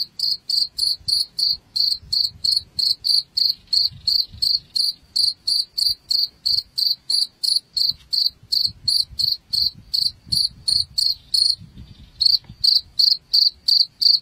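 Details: Chirping cricket, used as a rat repellent: continuous rhythm of short, shrill pulsed chirps close to three per second for over fourteen seconds, one brief gap near the end, soft low hum underneath.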